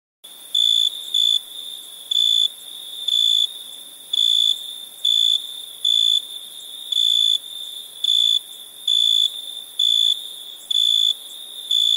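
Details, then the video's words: Crickets chirping at night: a steady high, pure-toned ring with louder pulses, about one a second, over a continuous background drone of other insects. "Relaxing Chirping Crickets"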